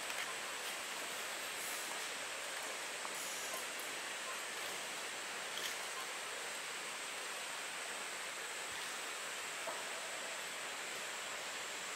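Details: Steady rushing water fills the recording with no animal voice standing out.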